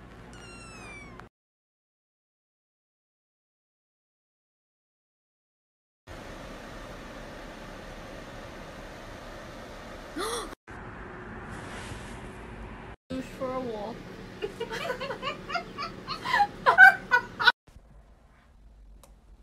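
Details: Domestic cat meowing in a cute, funny pet compilation: after a quiet start, drawn-out arching meows rise and fall, then a burst of several quicker, louder meows near the end, with human voices talking in the background.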